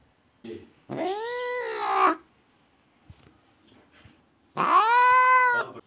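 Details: Domestic cat, described as not wanting guests in the house, gives two drawn-out, tonal, moaning yowls, each about a second long, separated by a three-second pause with faint rustling between them.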